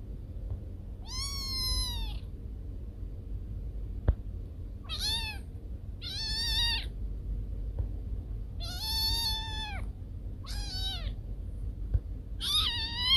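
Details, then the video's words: Domestic cat whose meowing is said to scare away rats: six short, harmonically rich meows come in uneven bursts over a steady low background hum. "Suara Kucing Pengusir Tikus"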